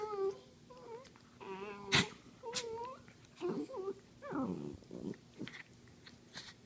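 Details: Dachshund wrestling on a couch: high, wavering whines and yips give way to a short, low, rasping growl near the middle, then more squeaky whimpers, with rustling and thumps of play throughout.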